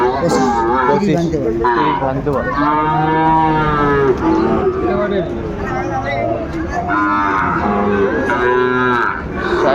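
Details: Sahiwal bull calves, about three to three and a half months old, at Ambari livestock market in Dinajpur, Bangladesh, on 17 March 2025; several long, low, harmonic moos rise and fall across the clip, with market chatter in the background.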